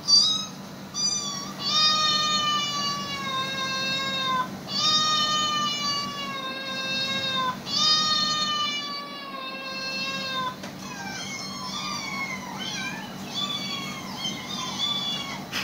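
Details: Domestic cats responding to recorded animal sounds: long, drawn-out meows with rich overtones, each held about two seconds and repeated several times, followed by shorter wavering cries, over a constant low background hum.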